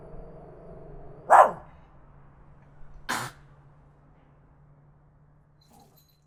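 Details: Tiny dog barking loudly, recorded on a Zoom H5 handy recorder: one sharp, high yap, then a rougher, breathy bark after a gap, then near silence.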